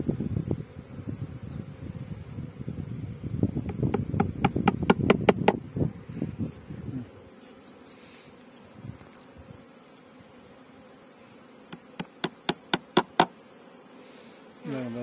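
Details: Beekeeping scene in Pakistan with honey bees: dense, low humming buzz for about seven seconds, overlaid by quick runs of sharp tapping clicks, then a quieter hum with another burst of clicks.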